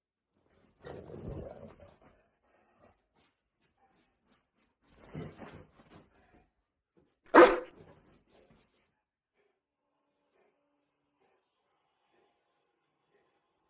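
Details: Boerboel dog at play by a bed: two soft, rough bursts of scuffling or low vocal sound, then one sharp, loud single bark near the middle, with long quiet gaps between.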